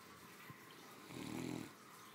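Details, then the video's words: A female Great Dane, three years old, sleeps after a hearty lunch and gives one deep, buzzy snore lasting under a second, preceded by a faint click and soft breathing. "My 3 yr old snoring after a hardy lunch"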